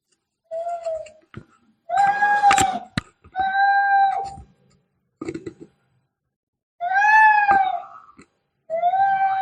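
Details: Angry cat fighting: harsh, strongly harmonic yowls and wails come in about six bursts of half a second to a second each, separated by short gaps with scattered clicks and thumps.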